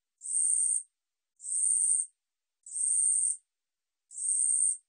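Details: High, dry buzzing song of the katydid 우리여치, National Institute of Biological Resources, 2020: four even rasping bursts of roughly 0.7 seconds, spaced a little over a second apart, in complete quiet.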